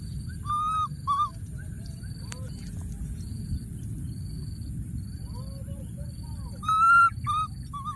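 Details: Baby monkey in the wild, tucked into a thorny tree and calling out for his friend. Two clear arched coos open, then faint softer calls, then a loud cluster of bright rising-falling cries, over a low rumble and thin high tone.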